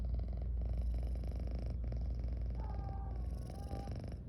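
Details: Sleepy female pet cat, yawning and purring: a loud, rhythmic low purr throbbing steadily, then two faint high squeaky notes near the end as the purr softens.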